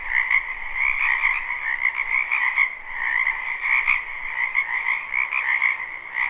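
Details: Dense croaking of numerous frogs in a spring wetland, captured live without looping: rippling high-pitched trills over a mid-pitched buzz, volume gently rising and falling, with a few sharp ticks.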